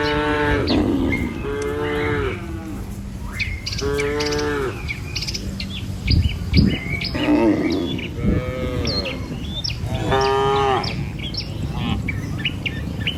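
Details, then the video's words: A herd of dozens of tame cattle crossing a river bridge on their morning way to feed, mooing repeatedly, about five harmonic lows spread across the clip, with bird chirps and a clatter of hooves and movement. "Gembala Puluhan Ternak Sapi Melintasi jembatan Sungai, Suara Moou Sepanjang Jalan Menuju Desa"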